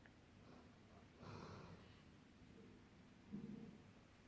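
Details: Sleeping golden retrievers dreaming: a breathy rasping exhalation, then a short nasal snort with a faint voiced tone near the end, in a quiet indoor room.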